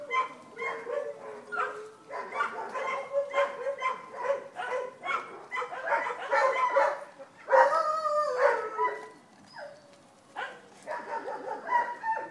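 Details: A litter of Vizsla puppies at a kennel: busy overlapping yips and whimpers, some drawn-out wavering cries, with a brief quiet pause before more calling.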